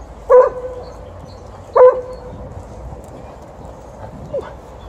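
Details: Alaskan Malamute, a female in heat and angry at a Golden Retriever, voicing at the end of a morning walk: two loud, short wavering howl-like cries about 1.5 seconds apart, then a fainter third cry, over steady outdoor background noise.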